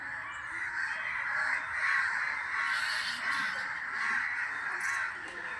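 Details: Many bats fill the air with a dense, continuous chatter of overlapping harsh squeaks and screeches among dense green trees in a temple courtyard in Solapur city, India.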